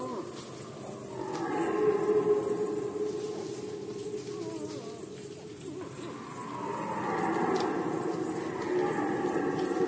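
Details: Rutting red deer recorded in Poland in 2020 give two drawn-out, groaning roars, the first wavering and fading midway, the second rising strongly near the end. Steady high-pitched ticking, possibly insects, continues behind them.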